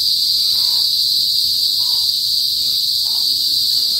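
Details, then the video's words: Kuliglig or Philippine cicadas in the northern provinces before sunset produce a steady shrill high drone, while three short, lower muffled notes sound at roughly one-second intervals beneath it. "TUNOG NG KULIGLIG SA PROBINSIYA | PHILIPPINES CICADAS NOISE"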